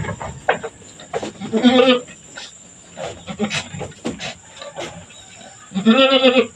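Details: Goat doe Mama Brown cleans her two newborn kids after giving birth, one black female, one brown male. Two shaky, nasal bleats sound about four seconds apart amid clicks, shuffling and straw noises.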